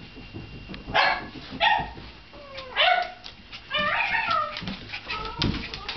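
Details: Shiba Inu mother and her two puppies; a run of bright, tonal yips and whiny barks, some rising and falling in pitch, about five distinct calls spaced irregularly over several seconds, with faint background rustling.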